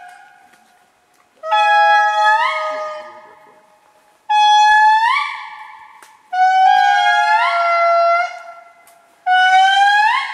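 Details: Indri lemurs calling in Andasibe, Madagascar: loud, wailing, trumpet-like notes that hold steady, then leap upward in pitch.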